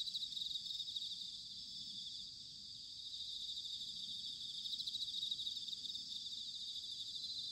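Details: Bell crickets in an autumn night chorus at Sanuki, Chiba, Japan: a steady, high, tinkling wash of rapid trills from many insects, softly rising and falling, with low murmuring background noise.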